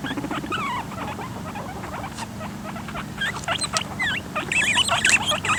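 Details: Guinea pigs give loud, high, warbling squeals and chirps in quick irregular bursts as a male attacks a female to mate and fails, turning into a fight. A low hum runs underneath, and the squealing grows louder toward the end. Recorded in 2013.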